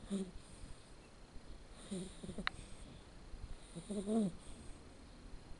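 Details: A red male Shar Pei puppy named Blacke EJ Terani, born 7 October 2013, snores faintly while asleep. Three short, low, wheezy breaths are spread across a few seconds against a steady hiss.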